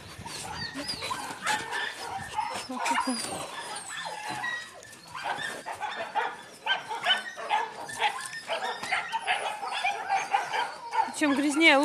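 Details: Dirty-faced Yakutian Laika puppies with their mother Rumba: a busy jumble of high, squeaky yelps and short whines that overlap almost without pause, with clicks and scuffling, and a few human voices in between.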